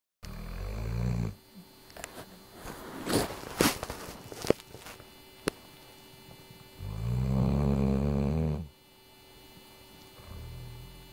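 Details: Ruby, a sleeping dog, snoring away indoors: low rumbling snores, one short at the start and a long drawn one of about two seconds later, with scattered clicks and rustling between breaths.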